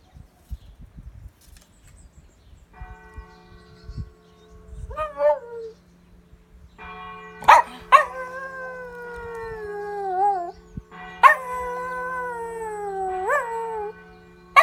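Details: A Lhasa Apso puppy, who moved from England to France and howls every day at 12pm and 7pm with the church bells, howls in long, wavering, sliding notes over steadily ringing church bells.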